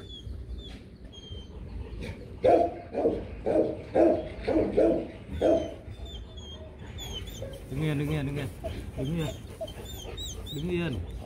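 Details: Rottweilers Loki and Siro during a breeding session: rhythmic breathy panting bursts roughly twice a second for a few seconds, then a person speaking, with small birds chirping high in the background.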